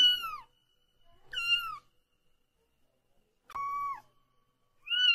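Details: Thin, high kitten mews, four short calls separated by silent gaps, each a brief falling or flat whine, in a quiet setting.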